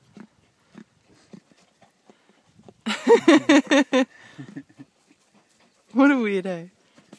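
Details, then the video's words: Billy goat calling close to a person: a loud, quavering, pulsed bleat lasting about a second, followed by quiet murmurs and faint voices, then a shorter wavering bleat near the end. "Silly billy goat talks"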